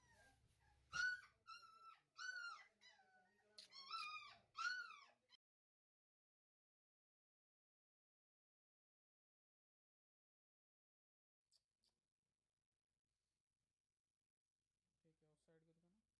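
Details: Labrador Retriever whimpering indoors; a quick run of high, arching whines and short yips over about five seconds, then near silence with a faint low murmur at the end.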